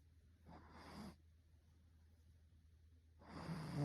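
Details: Two raspy snores from a Russian Blue cat, separated by about two seconds of quiet, the second building louder toward the end; faint constant low hum beneath.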